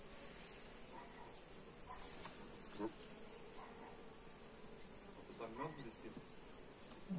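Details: Continuous low humming of many honey bees while a hive is inspected, phone-recorded; the drone stays constant while brief voiced sounds and soft handling noises rise over it a few times.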